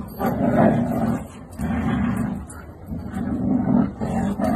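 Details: Siberian Husky in a funny husky compilation: low, moaning 'woo-woo' talking in three or four sustained phrases, each about a second long, with short pauses between them.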